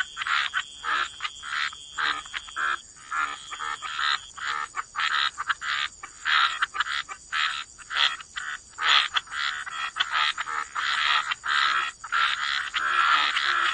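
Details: Gentle chorus of croaking frogs in the wetlands: rapid rasping pulses in uneven runs, several frogs overlapping, growing denser in the second half, with a soft continuous high tone behind.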